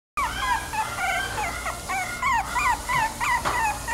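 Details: Chiweenie, a Chihuahua and dachshund cross, whimpering continuously: thin, high, wavering whines that rise and fall, repeated several times a second, over a low steady background hum.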